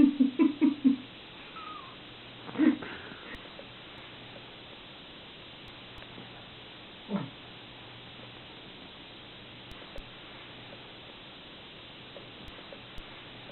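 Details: Domestic mother cat with her kittens indoors, hugging and licking them as they try to escape: a quick burst of four or five short, low calls in the first second, then single calls near two and seven seconds over a steady low hum.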